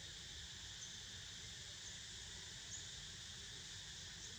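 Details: Cicadas buzz on while a pet snoozes: a brief stretch of steady, shrill layered droning at moderate volume, constant from start to finish.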